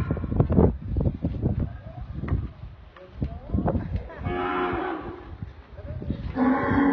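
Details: Deep, sustained moos from a dairy cow, one in the middle and another closing the recording, separated by stretches of shuffling, knocking noises around the animal.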